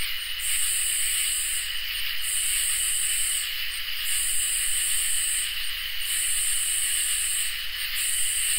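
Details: Summer night chorus of crickets and katydids: a continuous high insect trill with piercing buzzy phrases of roughly one to one and a half seconds, each followed by a short gap, repeating steadily.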